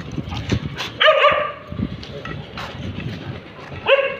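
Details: Tibetan Mastiff confronting a street dog: a few loud, harmonic barks near one and four seconds, with scattered lower yips and rustling noise in between.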